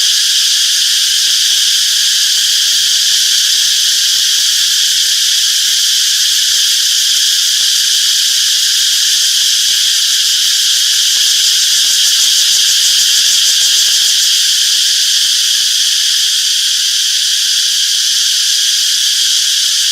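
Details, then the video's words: Chirping cicadas fill a summer forest with a steady, piercing drone made of stacked high tones, gently throbbing but never stopping, swelling very slightly near the middle. "Relaxing Cicadas Chirping Sounds - Peaceful Summer Forest"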